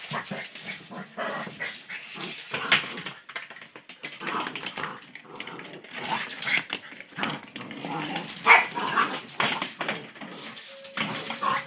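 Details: Border terrier puppy playing with a toy hamster: a busy run of small yips, huffs and growly snorts with scuffling, plus a brief squeak near the end.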